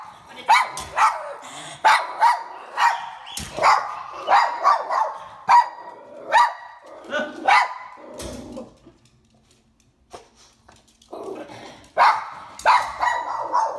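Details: Lhasa Apso barking in an elevator during a dog training session in Florida: a fast run of sharp, yappy barks for about eight seconds, a short pause, then another burst of barks, with faint human talk.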